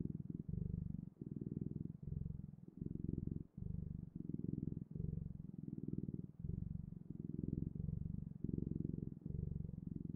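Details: A cat purrs continuously at close range, its deep fluttering drone rising and falling with each inhale and exhale in regular segments of about a second.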